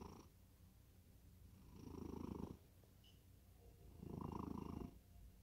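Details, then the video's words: Sleeping cat in deep slumber gives steady snores, two full rumbling inhalations plus the tail of a third, each lasting under a second, low and grainy with hushed pauses between. "고양이 코골이? 깊은 잠에 빠져든다."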